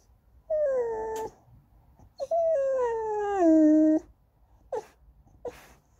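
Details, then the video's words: Sing-songy whining from Goldendoodle puppy Andy begging for snacks or petting: two long tonal whines, the second dropping in steps over nearly two seconds, then two short clicks or yips. "간식 투정 부리는 골든두들 강아지"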